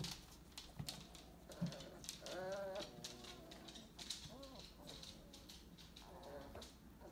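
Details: AKC purebred Weimaraner puppies, 22 days old, recorded in 2018: short whines, some with a rising and falling wavering pitch, come in three bursts between soft rustling and clicks.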